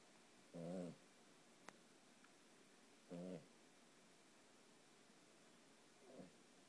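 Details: One-year-old Boston Terrier snoring while asleep: two short, low, rough buzzing breaths about two and a half seconds apart, then a fainter third, with a single sharp click between them in a quiet room.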